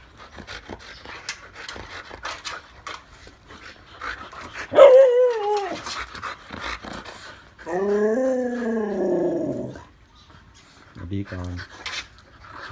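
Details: Patty the Husky and other Siberian Huskies talking while getting a snack: a wavering, harmonic howl-like moan, then a longer, undulating woo of about two seconds, and a brief final burst, with panting and rustling between.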